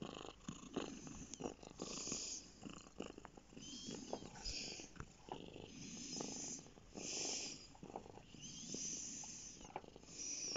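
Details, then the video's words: Lap cat Bear purring contentedly on a lap indoors, a close, rough, pulsing rumble that swells and fades with each breath in a slow inhale-exhale rhythm, with soft airy hiss on every cycle. "Bear lap cat"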